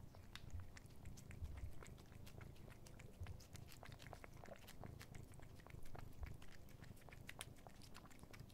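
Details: Content male house cat purring while licking a Dreamies creamy stick treat indoors. Dense, quick licking and chewing clicks repeat throughout over a steady low rumbling purr, with slightly louder bursts near the start and toward the end.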